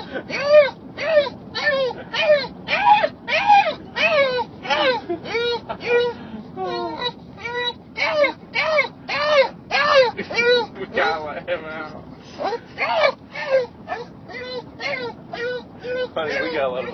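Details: English Bulldog screaming with excitement on arriving to visit its grandpa (Opa), a long run of high, wavering, arched yelps and whines repeated roughly twice a second, with brief pauses and people talking.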